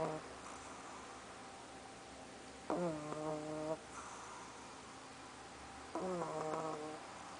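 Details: Snores from Soffie the sleeping pug, two strong rasping, whistly breaths about three seconds apart plus fainter snuffles, over a steady low room hum.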